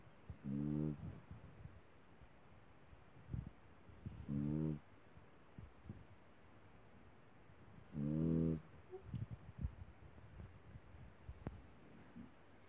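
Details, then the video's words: Small dog snoring: three rasping, harmonic snores, each lasting under a second and coming about every four seconds, with faint clicks and rustles in a quiet room between them. "Маленькая собака храпит!"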